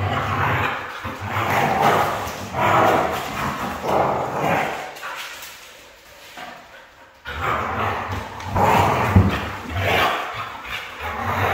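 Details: Red female Siberian Husky giving a run of loud, harmonic, talking-style vocal bursts about once a second, with a quiet gap in the middle before the bursts resume, strong and close.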